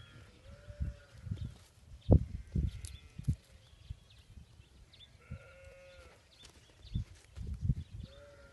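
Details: A hungry, lost lamb trying to suckle on a patient South African Boerboel dog, giving short wavering bleats at intervals among low thumping handling noise.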